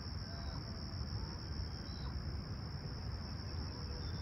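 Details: Toronto's Humber Bay Shores on a serene summer morning, July 28, 2020, 20ºC and calm: crickets keep up a continuous shrill, even trill for the whole stretch, laid over a loud low droning rumble.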